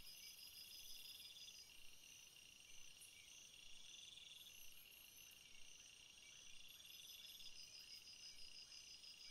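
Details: Natural chorus of crickets in a field of flowers, many overlapping high trills with short rapid pulse bursts recurring every few seconds and faint rhythmic ticks, over a quiet steady hiss.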